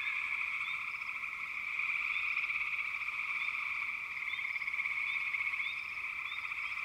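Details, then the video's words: Backwater frog chorus, a thick, steady high trill from numerous frogs, swelling slightly midway, with a few brief rising chirps sprinkled on top. "FROGS - Pig Frogs, Water Frogs, Backwater Chorus, & Frog Chorus"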